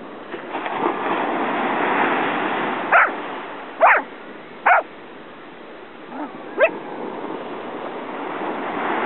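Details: Corgi barking in a quick run of three clipped barks about a second apart, then a single higher yelp after a short pause, against a constant background hiss.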